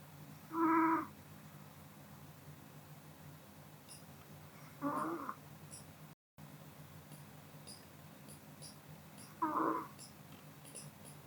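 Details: Kodama, a Pomeranian, sleeping after a meal: three short, squeaky, nasal snores spaced about four to five seconds apart, each brief and breathy against a quiet room background.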